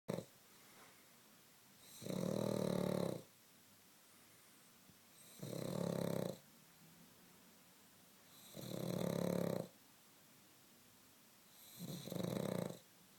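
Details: Pug snoring while asleep indoors: four loud, rasping snores, each about a second long, repeating roughly every three seconds, with quiet breathing between them.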